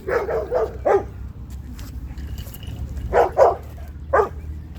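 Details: Zuma, a female Cane Corso, making corrections at a dog park: a quick run of three or four barks, a pause, then two more and a final single bark over low rumbling background.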